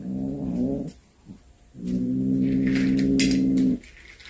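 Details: Domestic cat that brought home a snake it had hunted gives two low, drawn-out moaning yowls. The first is short; the second is longer and held steady. A few clicks and rustles are heard between them.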